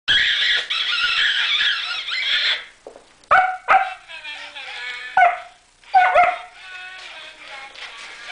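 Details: German Shepherd pups meeting a strange fluffy Christmas present, curious about it; music fills the first two seconds, then several short, high yelping barks with whiny falling tails come in bursts, separated by brief quiet gaps.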